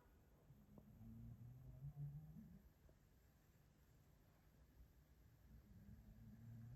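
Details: Django, a Maine Coon cat asleep on a hand-shaped armchair on a Monday morning, snoring softly: low, droning breaths in two long stretches, the first swelling to a louder peak midway, in a quiet indoor room.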